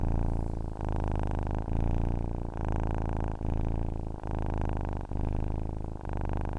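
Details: Cat's purr, a soft rumbling hum pulsing in alternating inhale and exhale phrases, a brief pause nearly every second, steady and unaccompanied.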